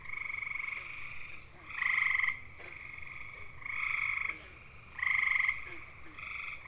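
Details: Male gray tree frogs (Hyla versicolor) of eastern North America giving mating calls: loud, musical, bird-like trills about half a second long, alternating louder and fainter callers roughly every second and a half over a steady background chorus.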